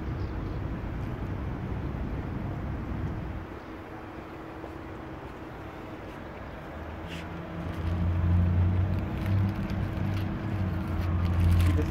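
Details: A low, steady engine-like rumble and outdoor background noise swell louder in the second half, with no animal call heard.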